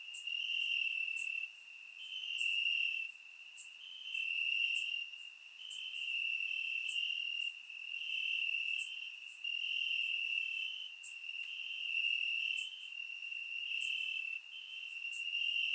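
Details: Crickets calling from grass on a warm summer night, Bulgaria, captured with a surround microphone; a piercing steady trill rises and falls in loudness in rhythmic bursts, with many quick high clicks from other insects throughout.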